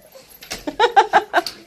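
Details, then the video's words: An Alaskan Malamute at home greets a wolf dog with a quick run of chopped, yodelling woo-woo howls. "Malamute Greets Wolf Dog With a Howl ❤️!"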